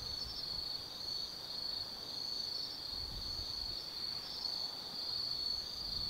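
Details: Forest insects of autumn calling after dark at Tsukimi no Mori in Gifu Prefecture, Japan: a dense, steady high-pitched ringing trill with gentle swells in loudness and a faint low background murmur.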